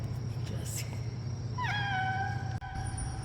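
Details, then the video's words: Domestic cat meowing after its owner urges it to say meow to show it is glad to see them: a single drawn-out meow starting high then dropping and holding steady, over a low indoor hum. "반가우면 '야옹' 해야지"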